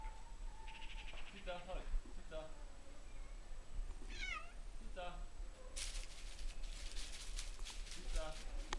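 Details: Domestic cat named Zita, jokingly described as Polish-Slovak and a keen mouse hunter, gives several short harmonic meows, one falling sharply around the middle. Speech talks over them indoors, and a burst of scratchy noise fills the final seconds.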